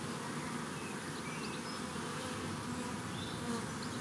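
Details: Part of a huge swarm of honeybees collected on World Bee Day 2019: a dense continuous low buzzing hum from many bees, with occasional brief higher whines of individual bees flying past.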